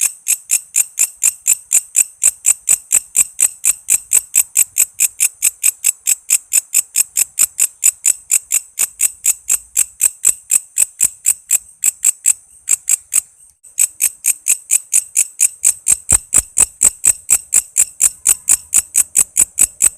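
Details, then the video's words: Walang kece cicada in busy song, offered as training sound for shama, lovebird, leafbird, magpie-robin and other songbirds; rapid shrill ticking about four per second, briefly halting once midway before resuming. "Suara walang kece gacor buat masteran murai,love bird,cucak ijo,kacer dan burung ocehan lainya"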